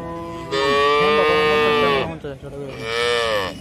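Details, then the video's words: Two cow moos: a long, steady, droning one of about one and a half seconds, then a shorter second moo with a slight rise. A faint musical background may be present. "cow video"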